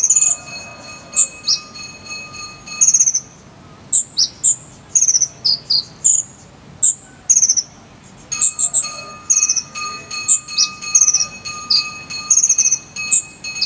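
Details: Cricket of the 'jangkrik sambung' type, used as a model sound for a konin bird to learn: dense runs of shrill, high chirps, some slightly falling, in clustered bursts with brief pauses, over a faint steady ringing tone.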